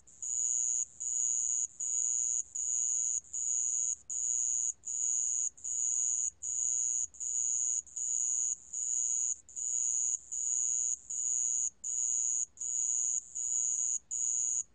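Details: A sand cricket's call: a shrill, high-pitched trill pulsing in regular bursts of under a second, each followed by a short pause, continuing evenly throughout with a quiet background.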